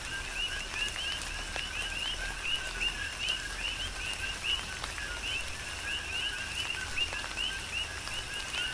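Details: Rhythmic chorus of coqui frogs amid tropical rain on the Big Island of Hawaii, dozens of short rising two-note whistles repeating over continuous rainfall and scattered raindrop taps.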